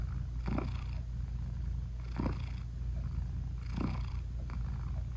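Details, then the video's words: Nursing British Shorthair queen purring over her newborn kittens with closed eyes; a soft, even, low rumble broken by three airy breath surges spaced about 1.6 seconds apart. "Cat Purring Meowing 🥰Sweet Mommy Cat Talking to her Cute Tiny Kittens 😘British Shorthair Cats"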